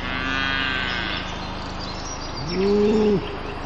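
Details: Cattle grazing in a pasture, recorded from a drone: a short, slightly rising moo near the end, after a few high bird chirps, all over a constant droning motor hum.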